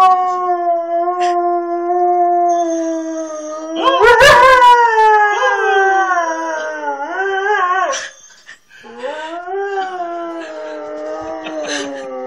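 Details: Siberian Husky left with a family for two weeks, howling after being teased by a man; long, sustained, harmonically rich howls with wavering pitch, a louder yelping burst around four seconds, then renewed drawn-out howls sliding slowly downward.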